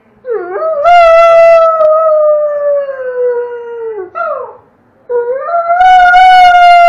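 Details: Pet Doberman named Red howling together with a child who howls in the background; a long, steady, slowly falling howl lasts several seconds, then a short break and a second strong howl begins.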